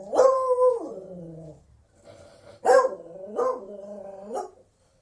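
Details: Drawn-out Beagle bay sliding down in pitch, then a quick series of three yelping barks, each rising and falling, with a soft low murmur in between.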